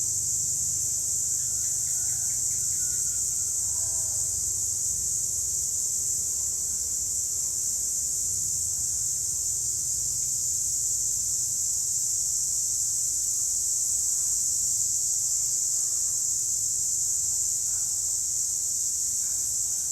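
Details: Cicadas in a wild, forested setting: a dense, unbroken high-pitched hiss that holds steady for the full twenty seconds, over a faint low rumble.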